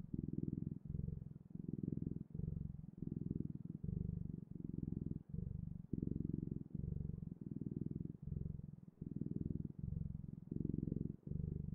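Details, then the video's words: Domestic cat purring in a quiet small room, a low throbbing rumble broken into regular breath phases roughly every 0.7 seconds, even and continuous throughout. "Purring Clouds: The Best, Ultimate, and Magical Sounds of Cat's Purring"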